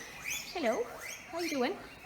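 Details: Farm guinea pigs give loud, squealing wheeks in arched, rising-and-falling bursts in the morning, calling out because they want their breakfast.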